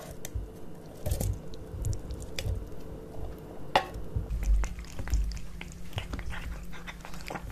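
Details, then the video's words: Two cats, Kitkat and Leo, eating tuna fish wet cat food indoors; steady wet chewing and smacking with soft clicks of bites throughout, low thuddy handling noises underneath. "Cat Eating Tuna Fish Cat Food ASMR"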